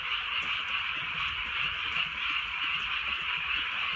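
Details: Countryside night in light rain, with a thick chorus of frogs croaking together in an unbroken, shimmering buzz of countless overlapping calls and soft pattering underneath.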